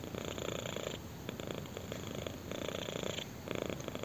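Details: Kitten purring under chin scratches, short rumbling bursts alternating with quieter breath phases, about four cycles in a few seconds, clean indoor sound.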